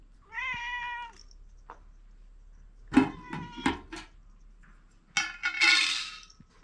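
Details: Pet cat eating dry cat food gives a short clear meow, then crunching and chewing noises, and a final rough, breathy meow-like sound.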